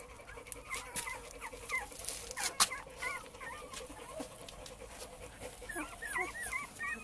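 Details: Cane Corso male puppies of litter J, Maxima lux kennel, give scattered thin rising-and-falling whines among soft clicks and rustles, with a sharp knock early on.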